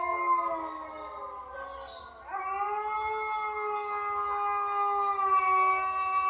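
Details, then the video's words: French Bulldog, one of two dogs reacting to strange sounds played to them, gives a long sustained howl of steady harmonic tones that shifts upward to a higher pitch after about two seconds and holds it to the end. "2 French Bulldogs React To Strange Sounds / Try Not To Howl"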